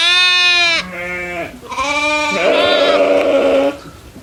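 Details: Farm goats grazing in fields with other livestock give a run of bleats: a long high harmonic bleat, a lower shorter one, then a rising, wavering bleat held for over a second.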